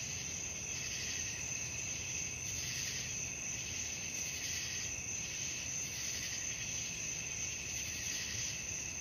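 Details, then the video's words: Crickets at night: a continuous shrill ringing chorus, gently throbbing in waves about once a second, with a second softer band beneath and a quiet low rumble behind. "suara jangkrik malam"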